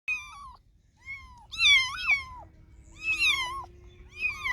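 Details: Domestic cats and kittens meowing: high, tonal meows that arch or fall in pitch, several calls overlapping at once, with brief pauses between bursts and a faint steady hum underneath.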